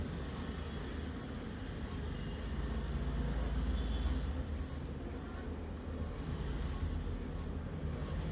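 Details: A locust stridulates, rubbing hind-leg pegs against its forewing edge, giving sharp, high clicks repeated steadily about every three-quarters of a second, apparently trying to communicate with its partner.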